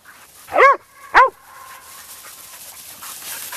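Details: Dog giving two loud, short yelping barks with falling, harmonic-rich tone about half a second apart, followed by quiet background rustle.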